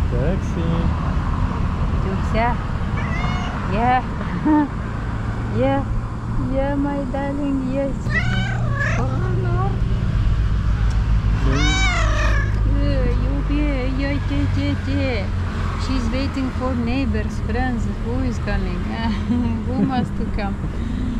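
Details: Hungry domestic cat asking for food outdoors near a forest; a long run of repeated short meows and chirping trills, some higher and sharper, interleaved with a woman's coaxing speech over low background rumble.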